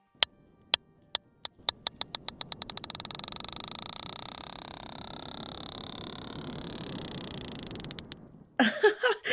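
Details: A sperm whale foraging for food in deep water gives sharp, broadband echolocation clicks, speeding up from slow ticks into a fast buzzing creak likened to vocal fry.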